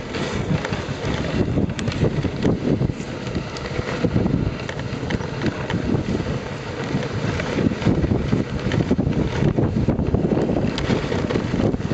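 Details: Steady rumbling noise with heavy wind buffeting the microphone, from a three-dog Samoyed sled team's training run in Minnesota in February, with no animal voices standing out.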